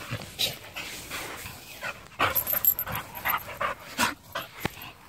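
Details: A Chow Chow pants and huffs in quick breathy bursts, with a few soft whimpering sounds, while playing excitedly.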